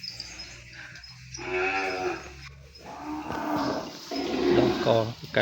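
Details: Calf crying for its mother from which it has been separated, filling the pen with noise: repeated mid-pitched moos overlapping with background clatter and a steady low hum.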